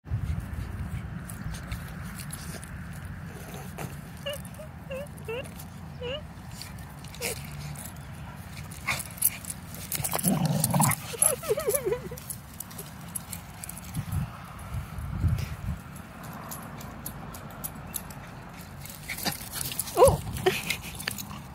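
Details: A pitbull and a mini Australian shepherd play fighting. Low, rumbling growls continue under scuffling noise, with a few short yips and a whine around the middle.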